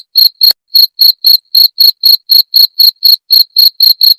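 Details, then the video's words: Cricket, the jangkrik genggong, whose sound serves to drive away rats: about fifteen crisp, high chirps in four seconds, each brief and evenly spaced, in a quiet background. "Suara Jangkrik pengusir tikus"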